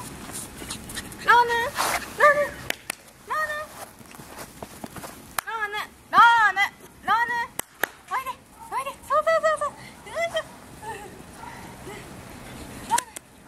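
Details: Male toy poodle puppy born on 25 February, giving many short, high whimpering yelps that rise and fall, in irregular bursts over several seconds with quiet gaps and faint clicks between.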